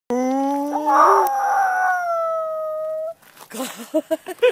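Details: Leo-tan, a two-year-old male Miniature Pinscher on the Hiwada-yama summit on 9 December 2014, gives a smooth, tonal howl rising in pitch for about three seconds, with an owner who imitated howling to prompt him; a voice follows.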